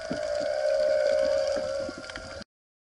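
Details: Humpback whales (Megaptera novaeangliae) sing off Maui, heard underwater during spearfishing: a long, steady, harmonic moan that wavers only slightly in pitch.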